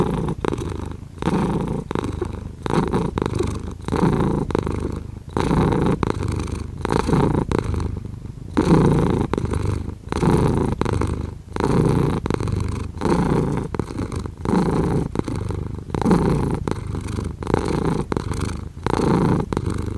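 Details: Close-up purring of a domestic cat, a dense low rumble pulsing in rapid breaths less than two seconds apart, steady and unbroken throughout, with nothing else audible.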